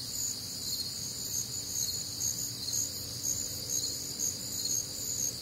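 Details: Crickets chorus on a warm, humid Midwestern summer night, a dense high shimmer of steady bands with soft pulses about twice a second and a faint low rumble beneath.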